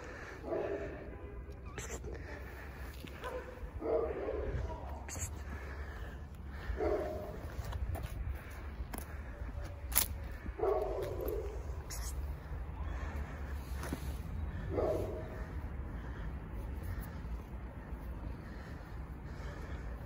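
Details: A fluffy stray cat recognizes its feeder and asks for food with short, mid-pitched meows every few seconds over a low background rumble.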